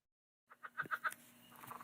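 A Southern Leopard Frog gives a quick run of clucking chucks that breaks into a rattling, laughing chatter.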